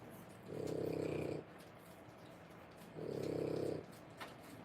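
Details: Snoring from 3-week-old French Bulldog puppies born 1/10/25: a pair of grating, vibrating inhalations near one second each, separated by about two seconds of soft indoor quiet and a small click at the end.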